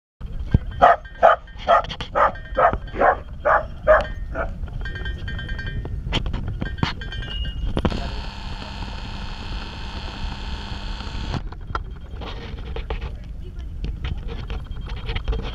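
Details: Two young corgis, red-and-white Boo Boo Bear and tri-color Delilah, play wrestling at their first meeting in a dog park. A rapid run of about eight sharp barks comes in the first four seconds, then a burst of broadband rustling noise.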